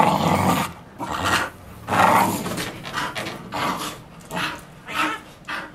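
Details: Bull Terrier chewing and playing with a solid bike tyre covered in nylon thread, growling low and rough in repeated bursts of roughly half a second, with breathy panting between them.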